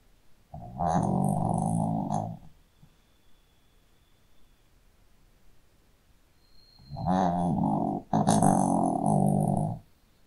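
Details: Sleeping Shih Tzu dog snoring indoors: two long rasping snores about six seconds apart, each roughly one and a half to two seconds, low and rumbling with a harsh buzzy texture and faint high hiss.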